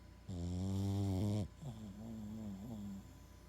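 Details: Massive snoring from Max the Boston Terrier: one loud, deep, droning tonal snore lasting over a second. It is followed by a quieter snore that wavers up and down in pitch, with a small rising lilt near the end.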